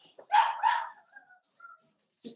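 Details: Cavalier King Charles Spaniel puppies, Ruby and Blenheim coats, born 06/09/2022, on an overnight puppy cam on 8/27; two quick, bright yips back to back, then soft rustles and faint thin squeaks indoors.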